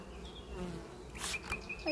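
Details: Honey bees at a hive during treatment and inspection, no queen cells present, 6 May 2023; a low droning buzz with brief flight hums passing close, plus a few short clicks.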